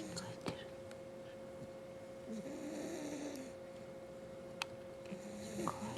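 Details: Five-month-old French Bulldog puppy asleep indoors, giving soft, low, rasping snores in slow drawn-out breaths, with a faint steady hum and a few small clicks behind.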